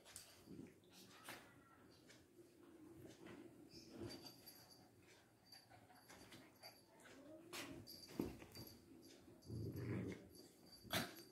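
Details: Two Lhasa Apso dogs fighting indoors: low rumbling growls come in short bursts, mixed with sharp scuffling thumps and clicks, ending in a louder, sustained growl near the close.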